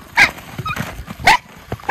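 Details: Miniature Schnauzer, one of the white brothers Lucky and Levi, frolicking off-leash in snow in Aroostook County, Maine, on January 6, 2023; two sharp, bright barks about a second apart, with quiet snowy background between.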